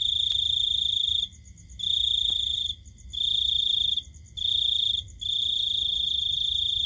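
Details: Cricket chirping at night: high, shrill buzzing trills of about a second each, separated by half-second pauses in a regular on-off rhythm, with a couple of faint clicks and a low background hum.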